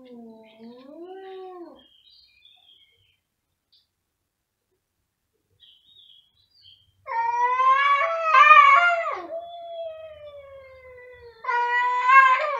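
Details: Two pet cats in a loud vocal duet: a short arching wail, a pause of near silence, then a long, wavering, strained yowl followed by a second rising yowl at the end.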